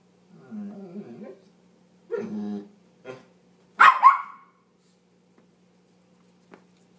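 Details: Boo the teacup Maltese and Mischka the Bernese mountain dog in a back-and-forth exchange: wavering whiny grumbles, a short yelp, then a loud double bark, over a faint steady hum indoors.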